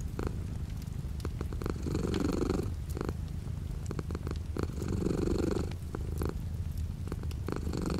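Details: Steady low cat purr with light rain beyond the window, pulsing in stronger swells every two to three seconds, accompanied by faint rain wash and irregular tapping drops.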